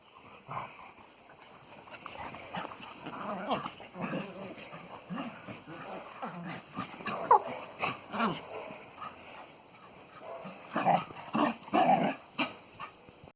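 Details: Springer spaniel and cocker spaniel rescue dogs playing together in a garden just after a walk: scattered short grunts, snuffles and playful growls, growing into quick rough bursts and whines near the end.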